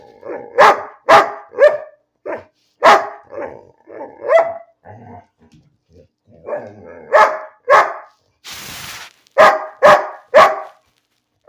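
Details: Pet dog Bean barking for no reason, a fast irregular stream of sharp barks and grumbly half-barks, briefly interrupted by a burst of rustling noise before the barking resumes.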